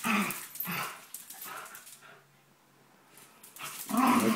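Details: Play-wrestling dogs Binks and Shorts give a rough growling bark at the start, a quiet pause, then a louder burst of growls and yaps at the end.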